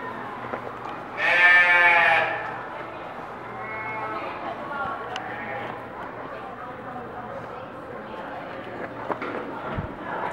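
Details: Newborn piglets, from two litters born this week, at Reston Zoo. A loud, tonal squeal with stacked harmonics lasts about a second, followed by fainter squeaks, while people talk nearby.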